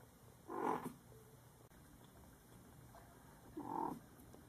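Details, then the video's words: Panda, a kitten, hiccuping: two short, soft, jerky bursts roughly three seconds apart, against a quiet indoor background. "Kitten Panda has hiccups"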